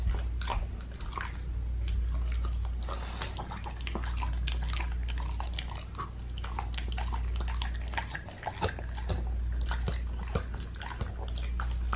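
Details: A dog chewing and biting raw meat indoors, with wet crunching and tearing over a low hum, no vocal calls.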